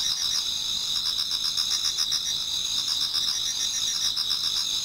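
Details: Many autumn insects singing towards dawn in a Japanese garden: a dense, unbroken high shimmer in two steady bands, with softer pulsed trills beneath, about four beats a second.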